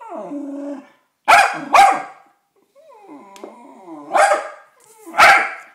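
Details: West Highland White Terrier angry at a birthday card bearing a picture of a westie: a low whining growl opens, then four sharp, harsh barks in two pairs, with wavering whines between them indoors.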